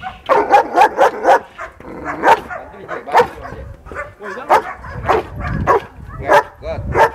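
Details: Male German Shepherd working against a decoy in protection training at Vom Almere Dog Training Centre, barking fiercely in rapid bursts of short, punchy barks, with people's voices and scuffling heard between them.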